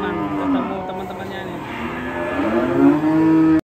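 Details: Agitated cattle bellowing over a rope tightened around its neck: two deep, sustained moos, the second swelling louder and holding steady before cutting off abruptly, with low rumbling noise underneath.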